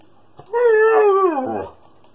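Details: Siberian Husky indoors howling in protest at being ignored during a computer game: one sustained, slightly wavering howl of about a second, falling in pitch at the end, with faint keyboard noise around it.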